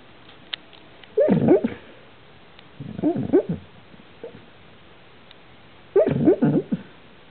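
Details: Sleeping dog dreaming, giving clusters of muffled whimpering yips and squeaky whines in three bursts, each lasting under a second, separated by quiet breathing-like pauses.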